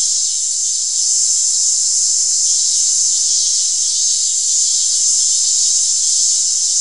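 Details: Steady, shrill cicada drone, a dense high-pitched hiss holding level without pause, with slight waves in loudness throughout.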